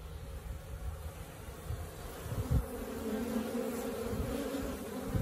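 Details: Wild honey bees settled in a tree next to a house, day two of the colony there; continuous low humming buzz, fairly even, with a brief louder pass near the middle.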